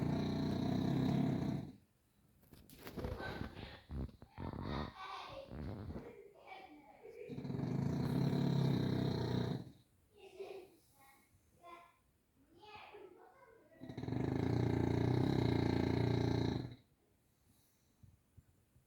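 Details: Grizzly the bulldog snoring: three long, rasping, low rumbling breaths of about two to three seconds each, separated by quieter snuffling and breathy noises.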